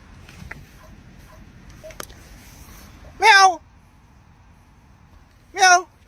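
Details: Domestic cat from a funny pet compilation giving two short, loud, harmonic meows about two and a half seconds apart, after a stretch of quiet indoor background with a few faint brief sounds.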